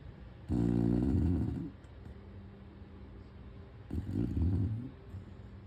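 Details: Abelhinha, a Chow Chow, sleeps and snores in a quiet room, giving deep, raspy, low-pitched snores that swell and fade, one early and a second after several seconds of soft breathing.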